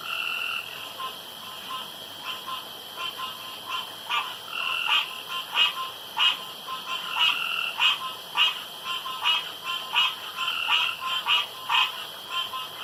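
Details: Night chorus of male frogs around a pond, competing to croak loudest and longest: rapid, irregular pulsed croaks and longer harmonic calls overlapping, roughly ninety per minute, with a constant hum behind.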